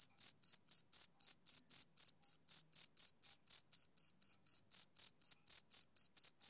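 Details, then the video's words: Male cricket chirping on a summer evening: clean, high-pitched pulses repeated about four times a second in a steady, even rhythm, with no other sounds in the background. "Cricket Chirping Sound Effect"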